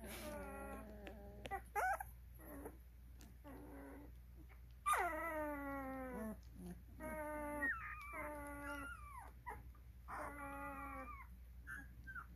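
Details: Twelve-day-old Cane Corso puppies at a kennel, with long harmonic whimpers and whines that slide downward, several overlapping cries repeated across the recording over a low steady hum.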